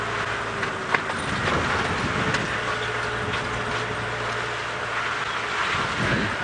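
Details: A vehicle engine hums steadily with clicks and rattles of movement, and no animal voice is heard.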